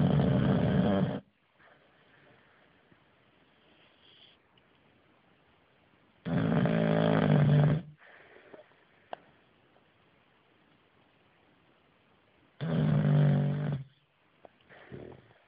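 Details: Bruno, an English Bulldog, snoring as it grows from quiet to loud: three deep rasping snores about six seconds apart, each lasting over a second, separated by quiet breathing.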